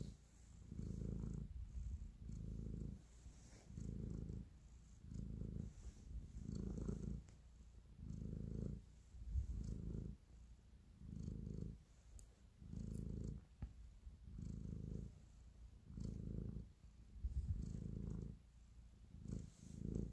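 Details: Kneading domestic cat showing affection with a close, throaty purr; deep vibrating rumble pulsing in regular breaths about every one and a half seconds, steady throughout, quiet room with faint scratchy rustles.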